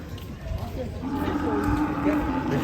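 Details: Cattle raging while being unloaded from a truck, a long drawn-out moo rising in the second half and held steady, over a noisy background of people talking and crowd bustle.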